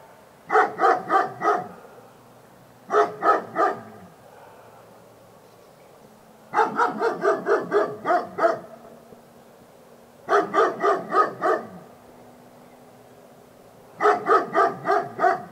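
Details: A dog barks in five rapid volleys, each holding four to eight clipped, ringing barks, with short quiet gaps between volleys and a faint low hum in the background.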